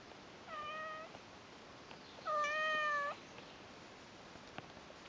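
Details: Persian cats, a mother named Lucy or Kimba with her newborn brother and sister kittens on their first day, indoors: two steady, level meows, a short one followed by a longer, louder one, over quiet room hiss with faint clicks.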